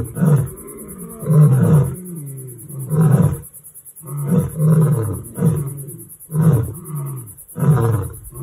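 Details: Lions, possibly males, on a reserve or sanctuary in the Limpopo bushveld, South Africa, give a series of deep, rumbling roars, each lasting under a second, heard during a patrol.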